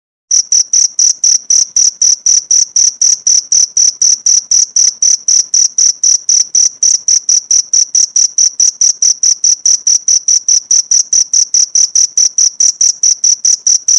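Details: Cricket recorded as a tutor sound for training pleci (white-eye) songbirds: steady, high, piercing chirp pulses, about four per second, sustained evenly for the whole stretch with no other sounds.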